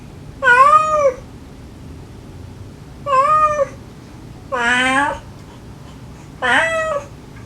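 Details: Kittens of a stray mother cat answering her with sweet, clingy meows, recorded to lure a last kitten into rescue: four clear, rising-then-falling meows spaced about two seconds apart, the later ones brighter and longer.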